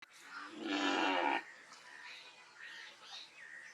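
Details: Cow giving a loud moo: one strong harmonic-rich call lasting under a second, then fainter high chirps and calls in the background.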